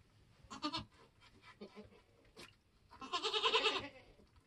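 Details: Nigerian goat on a homestead in kidding season, while kids are born: short muffled sounds lead into one loud, strained, drawn-out bleat lasting about a second near the end.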